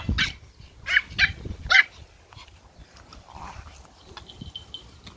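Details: Pomeranian puppies playing in a garden give three sharp, high yapping barks in quick succession near the start, then quieter rustling and scuffling with a faint thin whine toward the end.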